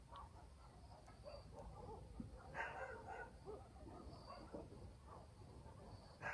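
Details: Village dogs barking through a quiet country night: a distant bark near the middle and another at the close, separated by faint yelps, over low rural ambience and thin insect calls.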